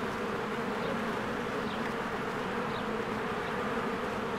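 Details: Spring honeybee hive with many bees flying in and out, a thick unbroken drone of wingbeats, banded hum steady throughout, with a couple of faint thin bird notes rising above it.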